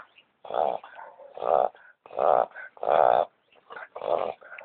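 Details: A male Boston Terrier with hay fever, after running through weeds and brush, snorts and sneezes in short, harsh nasal bursts about once a second, trying to clear the irritation from his nose.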